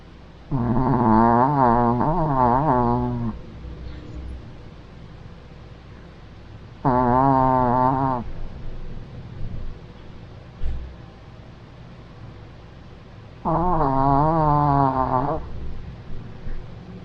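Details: Max, a Maltese dog, snoring: three drawn-out, tonal, wavering snores, each lasting two to three seconds and coming about every six and a half seconds, with quiet breathing between them.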